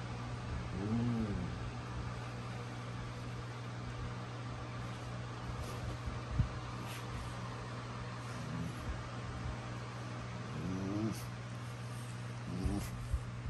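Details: Prisca, a female Basenji putting on a tough act, gives wild-dog-style squealing: three short, arched, harmonic whines rise and fall near the start and again twice toward the end, over a steady low indoor hum with faint ticks between.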